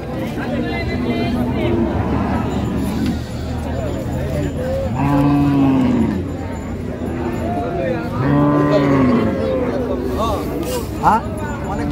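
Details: Cows with calves at the Raniganj cattle market in Dinajpur on 8 May 2025: two long, low moos falling slightly in pitch, each lasting about a second. Men talk and bargain nearby, with steady crowd chatter throughout.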